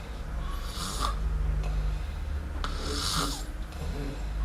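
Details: Kitten snoring in sleep, the cat named Miumiu: two airy, rasping breaths about two seconds apart over a constant low hum.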